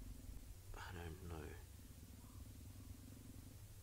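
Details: At sunset on 19 August 2017 in Djuma Game Reserve, a female leopard, Shangilia, facing the leopard Tandy, gives a low, rumbling defensive growl with chuffing under brief human speech, trying to avoid being attacked again.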